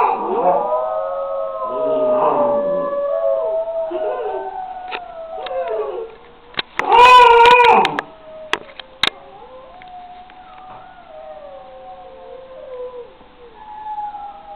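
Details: Wolfdog pup Josiah, six weeks old, giving long wavering howls that slide up and down, broken midway by a louder, harsher burst with clicks and knocks, then trailing into softer sustained howling.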